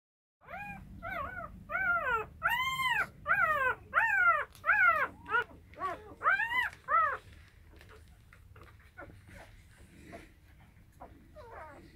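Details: Rottweiler mother with her puppies indoors; a run of about ten loud, arched, rising-then-falling whimpering whines packed into seven seconds, followed by quieter clicks and shuffling sounds.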